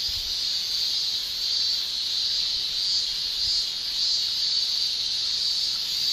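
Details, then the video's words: Cicada shrilling in a Japanese summer, a continuous high, hissing buzz with slight ripples in loudness across the whole stretch, no birds or voices clearly present. "Japan Summer Cicada Shrilling"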